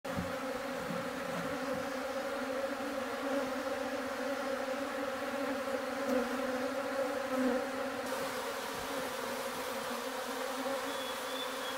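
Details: Honey bees kept in a rotten tree trunk hive in a forest: a dense, steady humming drone of many bees, low and even throughout, with faint rustling.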